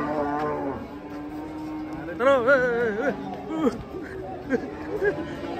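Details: Cattle coming down from a truck; a low moo opens, then a loud wavering bellow rises and falls for about a second, followed by shorter grunting moos amid faint voices.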